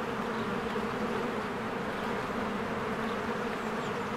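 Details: Honeybees busily flying around their cozy hive in spring; a steady, dense buzzing drone without pauses, low and even, forming a constant wall of insect sound.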